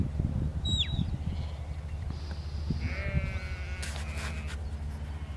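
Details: A lamb or sheep herded in a field by the working Border collie Lars gives one drawn-out quavering bleat, fairly faint, against steady low wind rumble; a single sharp bird chirp sounds near the start.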